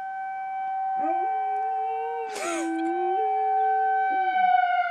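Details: Riley the dog howls at a tornado siren: a sustained, mid-pitched howl that dips, then steps back up and holds before trailing off, while the siren's steady tones drone loudly throughout.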